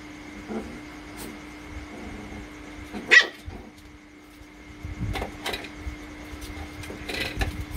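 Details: Playful one-month-old Rottweiler puppy from the Loki Gervi litter gives one sudden sharp yelp amid a mostly quiet stretch, followed by soft scuffling, a few faint clicks and a constant low hum in the background.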